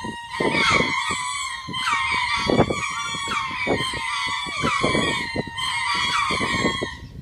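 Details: Twice-daily territory calls from lemurs, meant to claim the land and frighten away birds or predators: a dense, continuous screaming chorus with loud peaks roughly every second and strong pulsing low-frequency thumps underneath.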